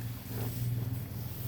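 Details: Cattle in a pen near Salatiga, Central Java, offered for sale ahead of Qurban: a low, steady, droning moo held for about a second and a half, deep and close, with faint background noise.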